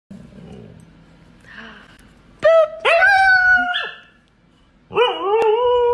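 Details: Siberian Husky puppies vocalizing toward their owners: after a faint start, a loud harmonic howl slides upward and holds, then breaks off, followed by a second sustained wavering howl; quiet background otherwise.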